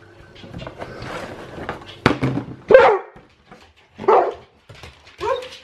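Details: Hungry Alaskan Malamute at feeding time indoors: background murmur, then a sharp bark, a strained grumbling vocal, and two more short whining yelps spaced about a second apart.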